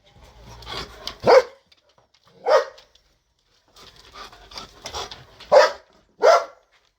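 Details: Belgian Malinois in a garden, described as barking so loudly that neighbours are annoyed day and night; a few loud single barks spaced about a second apart, with softer rough sounds between them.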